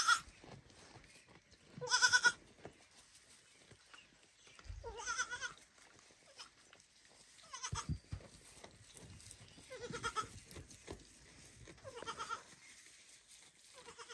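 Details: A baby goat, after watching its mother eat, bleats loudly and repeatedly, calling her so she will feed him.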